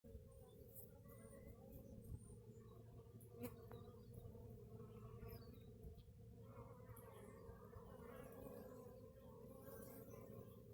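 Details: Bees inside a hive, picked up by a hive camera: a steady, low droning buzz holds throughout, with scattered high bird chirps and light knocks and rustles above it.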